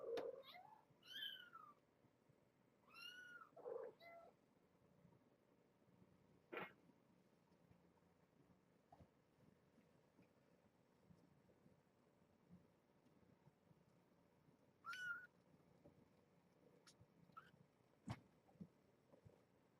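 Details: Afternoon visit at the Purrfect Pals shelter with brown tabby mother Janine and her kittens, playing and bathing; a quick run of high, arching mews opens, then isolated squeaks and bumps break quiet stretches.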